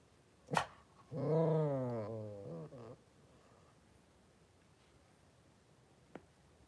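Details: Litter of five Blenheim Cavalier King Charles Spaniel puppies with mother Paris in an indoor puppy pen, born around New Year's; after a sharp click comes a two-second moaning whine that wavers up and down, ending in a short tail and a later tap.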